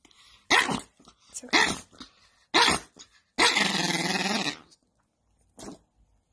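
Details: An angry domestic dog snaps out three quick sharp barks about a second apart, then a sustained ragged growl of over a second. A person apologises soothingly in the room.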